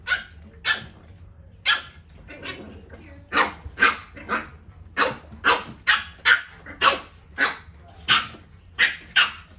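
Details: French Bulldog puppies, two, barking while playing: a rapid series of about seventeen short, sharp yappy barks, roughly two per second, with a low steady hum in the background.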